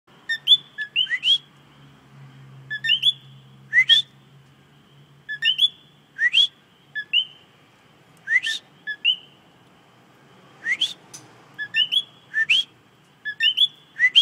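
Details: A common coqui frog, seen singing up close, calls its loud two-note 'co-QUI', the second note a sharp upward whistle.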